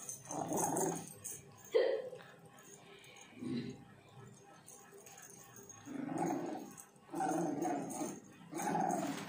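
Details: French Bulldog puppy playing tug of war, giving low, rough growls in short bursts every two to three seconds, with quiet pauses between them and a faint background hiss.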